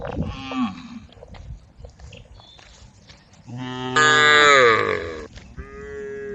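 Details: Tame female cows in a group calling the herd: one long, loud harmonic moo rising then falling after a softer low lowing, with quieter bellows before and after.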